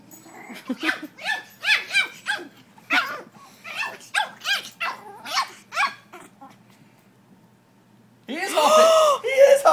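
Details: Eight-week-old Shih Tzu puppy and a Yorkshire puppy, one humping the other; a run of about a dozen short, high yelps spaced under half a second apart, a pause, then a louder, wailing harmonic outburst.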